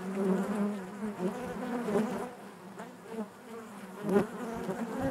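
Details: Honey bees buzzing inside their hive, a dense low drone with steady hum and shifting swells, a few brief louder surges as individual bees pass close.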